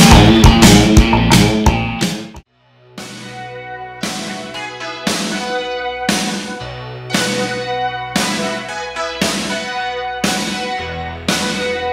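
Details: Rock music with struck chords repeating about every second over a low sustained bass, after a dense opening burst and a brief silent gap; no animal voice.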